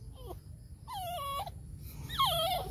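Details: Chihuahua whining in three drawn-out, wavering notes: a short falling whimper, a longer level cry that dips at its end, then a louder cry that slides downward, over low background rumble.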